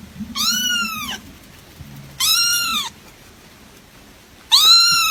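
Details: Little kitten giving three clear, high meows that bow upward and slide down, separated by pauses of about a second, with a faint low hum underneath.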